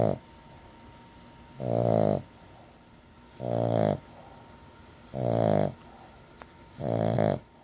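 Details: Dog named Carley snores while napping after chewing a bacon-flavored long-lasting chew; four rasping, buzzy snores about every 1.7 seconds, each lasting roughly half a second, with quiet breathing between.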